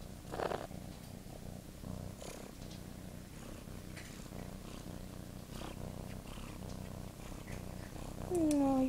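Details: Pet cat talking with its owner indoors: a steady low purr runs throughout, with a short soft call near the start and a clear rising-falling meow at the end.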